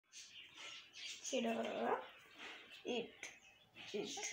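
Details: Four-month-old Pomeranian puppy giving a drawn-out, high, wavering whine of just under a second, framed by shorter soft squeaky whimpers, with faint indoor voices around it.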